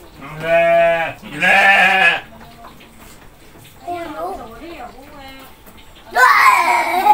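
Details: Goats at feeding time: two loud quavering bleats back to back in the first two seconds, Indonesian speech in the middle, then a harsh, strained bleat closing the stretch.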